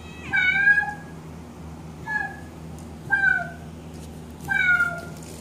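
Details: Pet cat indoors answering a synthesized cat sound: a few separate meows spaced one to two seconds apart, each a bright falling cry with a brief rising start, in a quiet small room.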